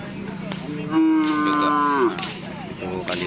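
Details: Racing cattle during karapan sapi training at the Asemanis field in Pamekasan: one level, drawn-out moo lasting about a second and dropping slightly at its end, with background chatter and clatter from the gathered crowd.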